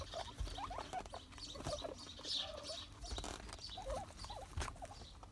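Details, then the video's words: Guinea pig making short, clipped squeaks and chirps in scattered bursts over a steady rustling, pattering background. "Guinea pig asmr"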